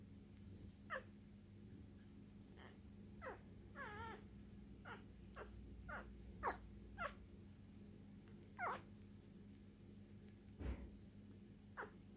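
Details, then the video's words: One-day-old female English Bulldog puppy, lilac tri colouring, born 27 September 2019, indoors; a series of short high squeaks and thin whining cries, some wavering, at irregular intervals over a steady low hum. "Exotic English Bulldog Puppy 1 day old"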